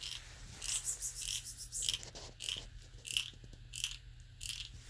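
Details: Crunching and grinding bursts of chewing repeat irregularly, with no animal call heard. A low steady hum runs underneath throughout.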